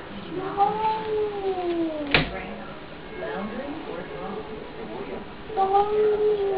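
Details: Domestic cat standing at the cat flap after a fight with a neighbour's cat, giving long, drawn-out wavering wails that slide down in pitch, a sharp click midway, then another rising moan near the end.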